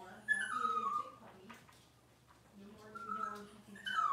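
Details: Plaintive falling whines from six-week-old Cavalier King Charles Spaniel puppies getting dewormed and toenails trimmed, two long whines separated by a lull, with people talking softly underneath.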